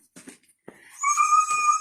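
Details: Noisy dog indoors giving a high, thin whine that rises sharply and then holds a steady, squeaky tone for nearly a second, after a few soft scuffling sounds.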